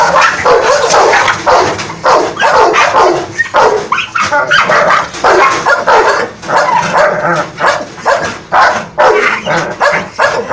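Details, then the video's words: An American Bully dog turns angry at its Boerboel companion. It lets out loud, rapid, harsh barks in dense bursts, mixed with yips and a few whimpering notes. The barking runs almost without pause throughout. "American bully se revolta com o seu companheiro Boerboel"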